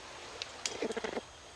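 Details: A greater bamboo lemur (Prolemur simus) feeding on bamboo gives a quick burst of short, chattering notes, a territorial call telling another lemur not to come close because it has the bamboo to itself.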